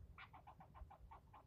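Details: Squirrel scolding a person for nearly ten minutes straight; a steady train of rough, barking chirps comes about six per second, faint against low-pitched background hum.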